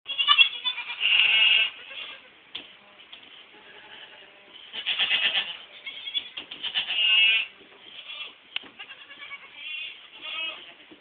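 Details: Young goats from the 2010 crop of kids give loud, nasal, wavering bleats in bursts near the start, middle and end, with quieter bleating and shuffling between them.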